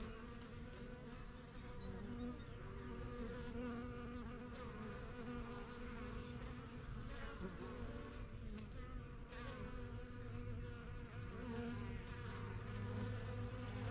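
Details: Backyard honey bees flying in and out of their new yellow hive, settling into the surrounding area; a thick, low, unbroken buzz that swells slightly after the first seconds, with passing bees briefly louder.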